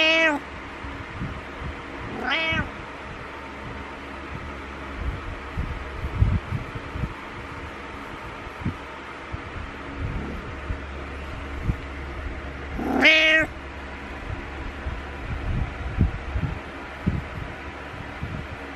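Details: Butters, a pet cat, meows in the morning to wake its owner, headbutting: a short meow at the start, another near two and a half seconds, and a louder one near thirteen seconds, with quiet rustling and shuffling between.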